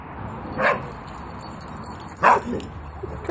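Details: Westie bitch at play in a garden alongside a friend, giving two short yappy barks roughly one and a half seconds apart over faint background hiss.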